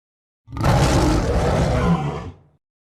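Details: Lion delivering one sustained, deep and raspy roar of about two seconds, loud at the start and fading toward the end.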